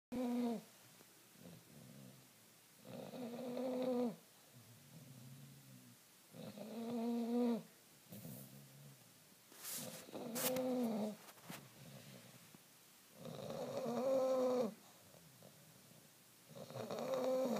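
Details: A nine-month-old female bulldog sleeping with her tongue out after a walk, snoring in rough, rasping breaths repeated about every three to four seconds, with quiet pauses between.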